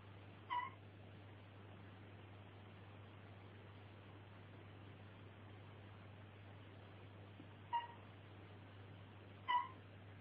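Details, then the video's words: Mossy frog calling in a recording that also features peacock tree frogs: three short, harmonic chirps, two of them close together near the end, over a steady low hum. "Mossy Frogs & Peacock Tree Frogs Calling"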